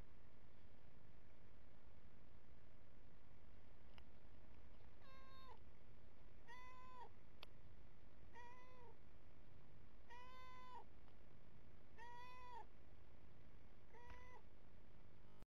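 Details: Domestic cat by a hose reel, where it drinks, meowing over and over: seven clear, drawn-out meows, some rising then falling, spaced about every one and a half seconds over a steady low rumbling hum.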